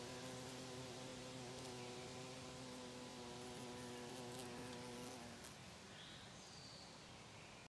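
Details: A female carpenter bee drilling holes in a house in Monticello, Georgia gives a steady, low, droning buzz that holds for about five seconds, then stops.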